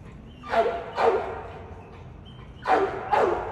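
An American Staffordshire Terrier barks in two pairs of deep, punchy woofs.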